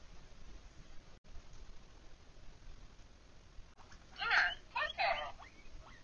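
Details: Pet guinea pig indoors, a female asking for what she wants, possibly Lily or Coco: two loud squealing bursts with strong harmonics near the four- and five-second marks, the rest a quiet small room.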